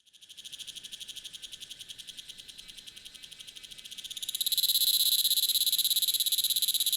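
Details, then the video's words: Unidentified Tanna cicada recorded in Taitung, Taiwan, at 1000 m altitude with a Sony A7s3 and Rode Videomic NTG: a high, rapidly pulsed buzzing trill, steady at first, then abruptly louder and denser after about four seconds. "未知暮蟬2 蟬鳴聲"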